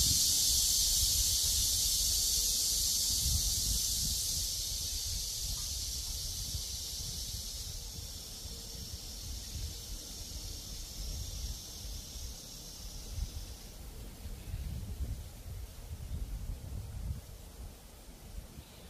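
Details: High, hissing buzz of cicadas in a cool breeze, strong at first, then thinning and dropping away after about two-thirds of the way through, leaving gentle low wind noise.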